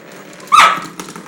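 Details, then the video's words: Pet dog excited while playing with a toy: a single short, high squeaky yip with a brief tonal whine, then quiet indoor room noise. "Crazy dog"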